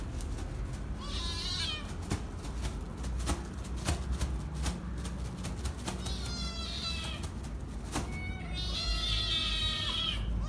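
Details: Several hungry kittens making loud noise, short high meows that bend downward, separated by clicks and knocks, then a longer wavering cry and a strained meow near the end, steady low hum throughout.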